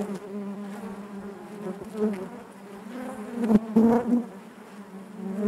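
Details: Inside a honey bee hive, a continuous low buzz carries layered harmonics, then a cluster of louder, wavering buzzes from bees moving close around three and a half to four seconds.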